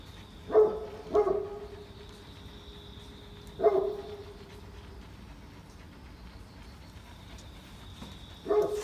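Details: A Great Pyrenees, a super-large dog, is walking in the morning rain at Oyama Yuen Harvest Walk. It gives a quick double bark, then two more single resonant woofs with tonal tails, spread across several seconds of rainy quiet.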